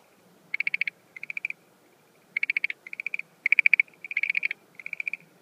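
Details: At night in April 2013, at the start of its breeding season, a Schlegel's green tree frog gives bursts of rapid clicking pulses, several short rattling trains separated by pauses, over a faint background hum.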